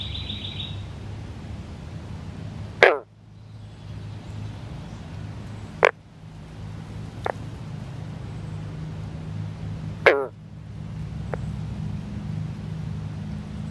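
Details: A male Northern green frog (Rana clamitans) keeps calling in amplexus with a female among newly laid eggs: single, abrupt banjo-like twangs a few seconds apart, other males calling, low background rumble.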